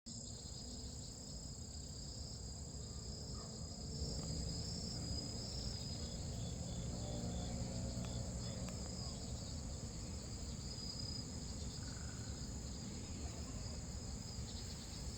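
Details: A large Korean blackish cicada (Cryptotympana atrata) sings a loud, harsh, unbroken high buzz over a low background rumble.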